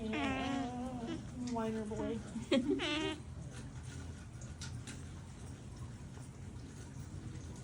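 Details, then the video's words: Otter whining: several wavering, nasal squeals packed into the first three seconds, some sliding downward, with faint background music continuing after the calls fall silent. "The heart-melting sound of otters哼哼唧唧的水獭"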